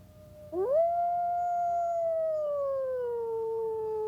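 A wolf gives a long, smooth howl that rises quickly, holds steady, then slowly sinks lower.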